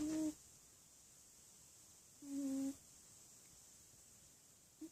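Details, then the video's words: Sleeping cat snoring: low, humming, hoot-like tones roughly two seconds apart, each a brief steady note, under a constant faint high hiss indoors. "Funny Snoring Cat!!"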